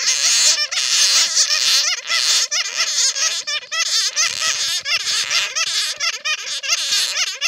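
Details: Captured bats in a net, recorded as a lure sound: sharp, looping squeals rise and fall in quick bursts roughly every second over a dense background of shrill chatter.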